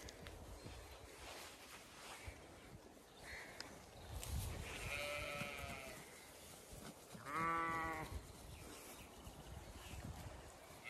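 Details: Zwartbles ewes and fast-growing lambs on a regenerative farm in County Kilkenny, Ireland, on a hot May day, some in shade, others grazing or going for water; two clear wavering bleats, one midway and a louder one later, over wind rumble and rustling.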